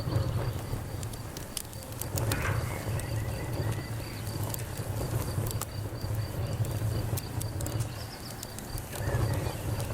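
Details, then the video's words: Steady high-pitched cricket chirps repeat in a fast pulsing rhythm over a campfire, with frequent crackles and snaps from the burning wood, a few brief sliding chirps, and a heavy low hum beneath. "Campfire Crackles and Crickets"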